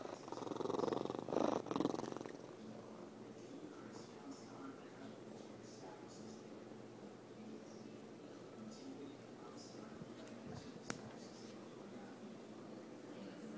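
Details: A young, 17-lb male Savannah cat purrs in a low, steady, rapidly pulsing rumble while self-soothing in an everyday ritual, after a brief louder rustle or vocal burst at the start.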